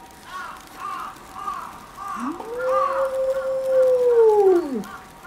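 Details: Gray wolf (Kinako, 11-year-old mother of a zoo pack) howls alone in starting heavy snow, set off by a distant ambulance siren, glancing back; one long, smooth note rising, holding, then sliding down; other wolves silent. December 22, 2011.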